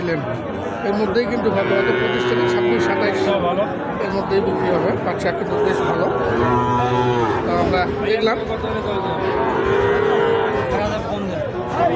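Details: Sahiwal bull calves for sale at Ambari market, which meets twice weekly on Friday and Monday. Sustained lowing calls rise now and then above a dense wash of people talking and bargaining.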